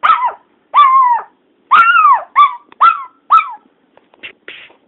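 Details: Teddy, a pet dog, barking because he misses a family member he cannot see: a series of loud, drawn-out yelping barks, some sliding down in pitch, about one per second, fading to softer short yips at the end.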